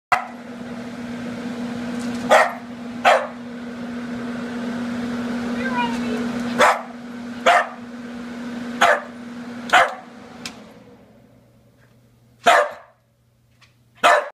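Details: Scottish Terrier attacking the wind, giving sharp single barks spaced irregularly over a steady low hum, with a brief high squeak midway and quiet stretches between barks.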